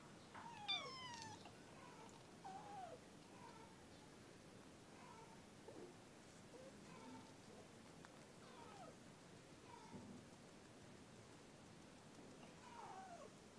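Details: Kitten in the early morning, giving a string of short, faint meows, the first brief and rising, the rest soft and spaced every second or two against a quiet room hiss.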